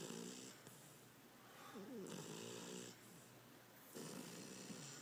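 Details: Tater the beagle asleep, snoring loudly again indoors: rough wheezing breaths with whistly harmonic overtones, uneven rhythm, each inhale and exhale running about a second or two.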